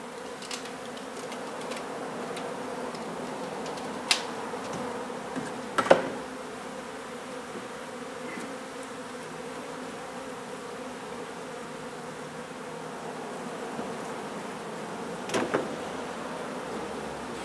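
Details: Honey bee hive being relocated from a renovated old home in Donna, Texas: a constant humming drone underlies occasional loud knocks and clicks from tools, with the buzz fairly steady in pitch.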